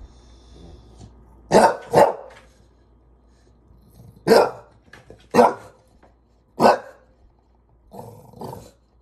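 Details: Bulldog frustrated with a ladder, giving loud broad barks: a quick double bark, then single barks spaced about a second apart, ending in a lower growly bark.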